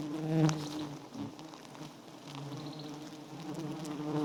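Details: A small wild nest of giant honey bees, white and full of honey, gives off a soft steady low hum with faint harmonic bands and occasional rustles and taps.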